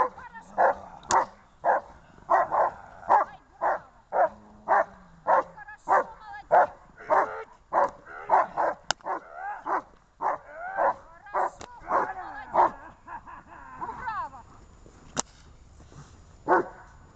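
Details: Barking from Gosha and Gesha, dated 23 December 2018: a long, steady run of short barks, about two per second, slowing and thinning toward the end with a few faint yelps.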